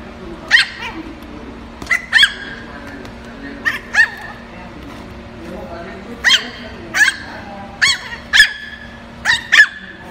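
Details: Poodle puppies in Bình Dương, Vietnam, give short, high, sharp yips in irregular bursts, with a faint human voice behind.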